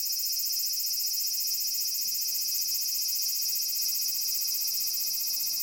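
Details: Aburazemi, the large brown cicada, in a persimmon tree, Japan: a noisy, continuous high-pitched sizzle that holds an even level from start to finish, with no other clear sounds.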